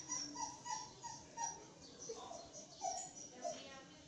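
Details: Twenty-three-day-old Belgian Malinois puppies whimpering: short, thin, high whines repeated about every half second, some slightly falling in pitch, with faint human voices in the background.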